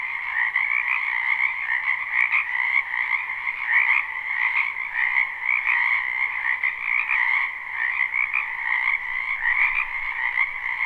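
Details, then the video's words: Frogs croaking in a spring wetland, live recording: a continuous, shimmering chorus of rapid trills at two pitches, with slightly rhythmic pulses and no other clear sounds. "Ambient Noise for Sleep Frogs"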